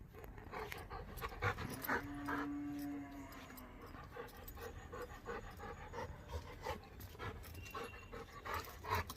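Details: Labrador Retriever play-fighting with its owner at home: rapid, irregular breathy panting bursts with soft scuffling, plus one brief steady whine-like tone lasting about a second early on; faint background noise throughout.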